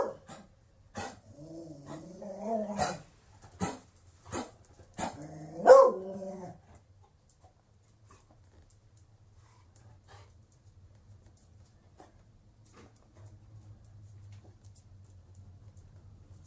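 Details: A Beagle barks several times in quick succession, some notes drawn out and wavering, then falls quiet, leaving a long stretch of near silence with a low hum.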